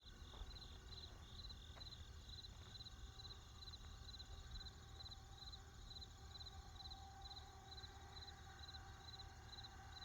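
Crickets chirp steadily in a high, pulsing trill over the low rumble of distant traffic.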